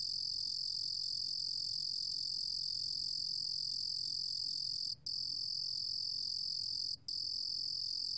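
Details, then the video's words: Steady high-pitched cricket trill, recorded in 2020, running without change apart from two short breaks near the end, over a quiet low rumble. "루루곰귀뚜라미, 여러번 듣기, 곤충소리"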